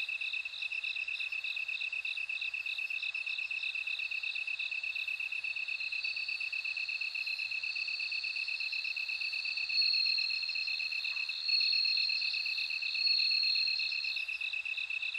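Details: High, evenly repeated cricket pulses from bell crickets ring without pause, while a second shimmering trill rises in the later seconds in brief louder bursts.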